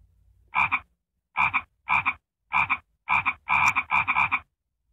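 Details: Frog croaking, described as annoying: short rasping croaks, each split into two quick pulses, given in irregular bursts of one to three about every half second, with brief silences between.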